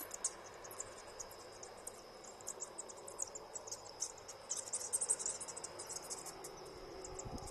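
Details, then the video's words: Night-flying bats from a roof colony of more than a thousand in a storeroom give sparse shrill clicks, then a dense burst of squeaking chatter midway, with a steady thin hum beneath. "Bats flying at night (with sound)"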